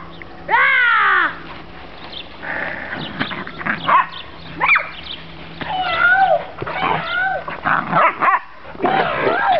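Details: Whippets Sally and Lola running around and playing: a loud, drawn-out arching whine opens, followed by a busy run of shorter yelps, wavering whines and sharp barks.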